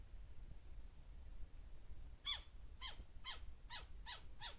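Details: Petaurista alborufus lena, the Taiwan white-faced flying squirrel, on the North Dawu Mountain trail on 2 March 2018. After quiet low rumble come six sharp, falling, harmonic calls about half a second apart.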